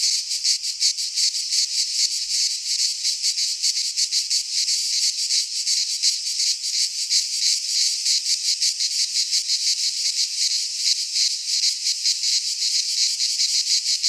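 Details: Many cicadas sing together in a Greek pine forest in midsummer, a relentless high metallic buzz pulsing quickly and steadily throughout, with no birds or wind.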